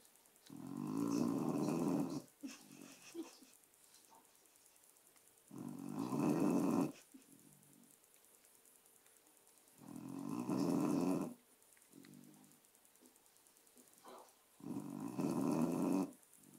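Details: A dog snoring during a little nap: four long, rasping, rumbling snores about every four to five seconds, each lasting over a second, with faint soft breaths and near silence between them.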